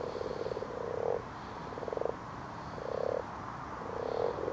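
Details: Common frogs call while spawning in a garden pond after dark, giving rhythmic, low, rattling purrs in four bursts about a second apart.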